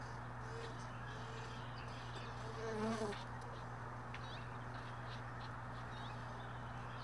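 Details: Honey bee near hive boxes left in a truck bed, early morning; a brief buzzing hum rises and fades as one bee flies past the microphone, set against a constant low background hum.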